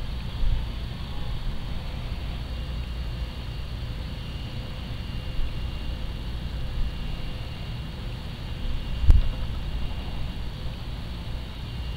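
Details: A steady low engine rumble, like an idling vehicle, with a faint hiss and one brief knock near the end; no animal voices.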